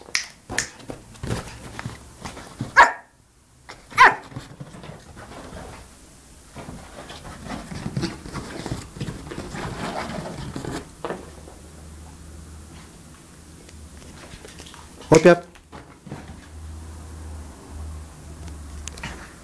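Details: Yorkshire Terrier puppy from Samsun, Turkey, barking indoors: two quick yaps early on, then a single later bark amid handling noise, with a man giving repeated Turkish commands and praise.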